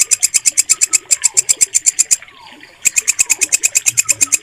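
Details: Walang kecek bush cricket recorded clearly for songbird mastering: rapid, shrill pulses about seven per second, a pause of under a second, then the same rasping rhythm resumes, with soft background chirps.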